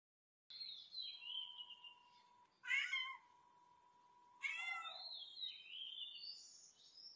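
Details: Cat giving two short, harsh meows about two seconds apart, set among high, thin, falling whistle-like squeals and a steady low electronic tone running underneath.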